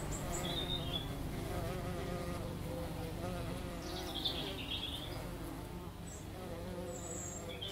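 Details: Two bees on lavender give a steady, slightly wobbling hum; a few high bird chirps and twitters sound around the middle and end.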